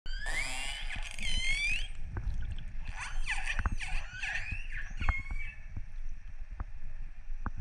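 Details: Wild orcas recorded underwater off northern Norway in December 2018, after dark, with divers in the water: many overlapping high, rising and falling whistles and squeals, with low rumbling water noise throughout.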